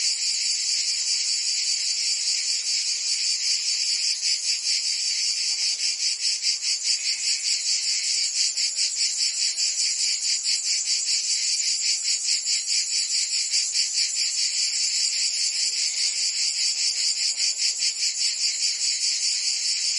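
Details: Many cicadas singing together in summer in Provence, France, a loud sizzling drone with quick regular pulsing, sharpest through the middle stretch.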